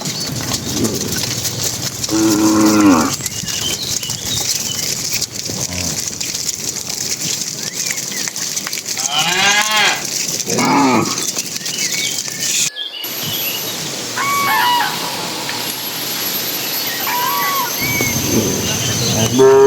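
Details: Dozens of cattle herded by a herdsman into their pen as evening begins; scattered harmonic moos of varying length rise over loud constant outdoor noise, with a brief sharp interruption midway.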